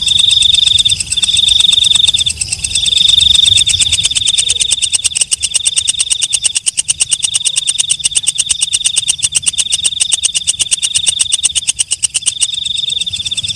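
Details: Walang kecek, a night katydid: shrill buzzy bursts at first, then an unbroken stream of quick high ticks with a whining buzz pulsing in waves, a faint low hum below.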